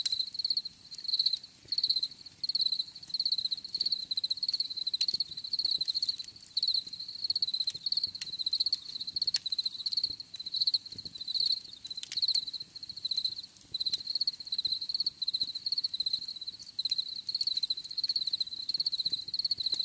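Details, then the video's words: Steady cricket chirping meant for relaxation, high-pitched pulsed trills in closely spaced bursts, occasional brief breaks, soft natural background. "Bruit de Grillons"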